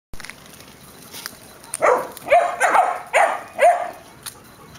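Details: Airedale terriers and a Welsh terrier of the Syrius-Laybel kennel; a run of about five sharp barks in quick succession in the middle of the clip, roughly two per second, over faint background noise.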